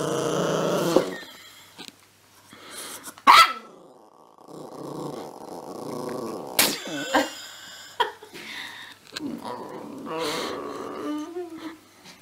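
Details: A growling puppy indoors. It gives a few abrupt barks and a drawn-out, steady whining tone, with a person's voice at moments.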